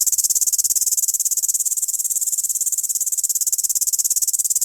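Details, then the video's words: Grasshopper stridulating by rubbing its legs; a continuous, very high, hissing buzz made of rapid, evenly spaced pulses, about three per second in loudness, steady throughout with no other sounds. "SOM DE GAFANHOTO"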